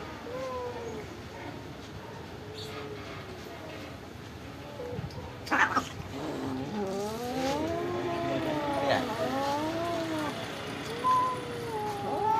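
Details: Stray pagoda cats receiving rice and fish; after quiet opening calls, several cats overlap in a chorus of arched, wavering meows, with a loud clatter midway and vehicle noise in the background.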